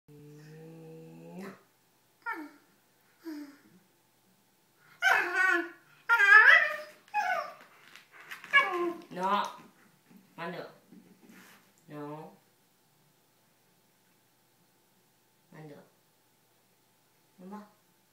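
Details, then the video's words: Shiba Inu named Mandoo, a female dog indoors, whining and crying out of frustration at not being allowed to bite a bamboo rug; high, wavering, voice-like cries in bursts, some sliding up and down, then spaced short whimpers. "Frustrated Shiba Mandoo with Cute Voice!"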